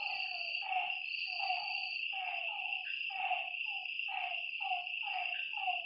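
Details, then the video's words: Frog croaks by a lake after dark, short dipping notes in loose groups with brief pauses, set against an unbroken whine of insects. "Lakeside night creatures and frog sounds"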